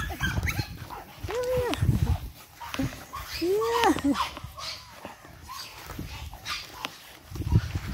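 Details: Boston Terrier puppies, 8 weeks old, from Charm's litter: two arched, rising-then-falling whining yelps near the start, with human speech and handling noise throughout.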